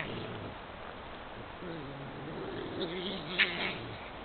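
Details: Badgers quarrelling in Puszcza Zielonka forest on 11 March 2022: low, wavering, moaning growls with rising and falling pitch run throughout, then a brief sharp squeak or click near the end over steady background hiss.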